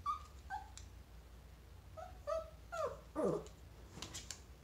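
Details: A Chihuahua meeting a chinchilla gives high, thin whimpers and short yips, some sliding downward, in an irregular run.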